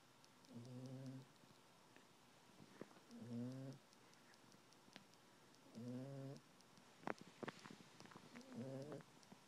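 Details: Female Maltese poodle pet snoring while comfy and cuddling on a couch under a blanket: four buzzy, tonal snores, each under a second long, come roughly every two and a half seconds, with faint clicks and rustles between them.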